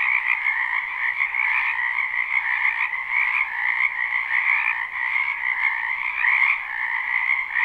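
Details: Frogs gathered in a spring wetland, their croaking captured live with no looping: a seamless, buzzing chorus of many callers, upper trills brighter than the lower layer, rising briefly in loudness toward the end.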